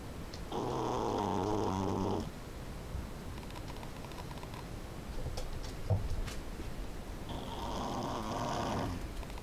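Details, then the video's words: Little female Pekingese Tanja sound asleep, producing two heavy, buzzing, rattling snores about seven seconds apart, with soft breaths and slight rustling in the quiet gap between. "Tanja, our SleevePeke, snoring like a bear"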